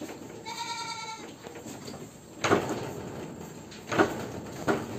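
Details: Peranakan Etawah goat, called the biggest in Wonogiri, Indonesia, giving one wavering, nasal bleat lasting about a second, followed by several loud knocks and thumps against a low background hum.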